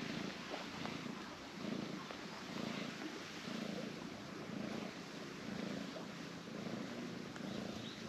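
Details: Orange tabby cat relaxing limply on a person's lap, giving a continuous low purr that swells and fades about once a second with each breath.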